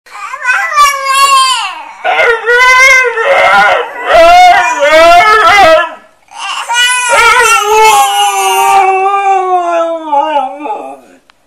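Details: Dogs 'talking' in long howling, whining vocalizations that bend up and down in pitch in several drawn-out phrases, with a short gap near the middle and brief noisy bursts between phrases.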